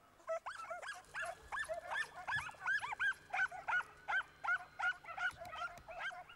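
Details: Italian Segugio hounds, several, hunting in Italy in the early nineties, giving tongue in close pursuit of a hare through an orchard and large vineyard: rapid high yelping bays, about three a second, each bending up and down in pitch.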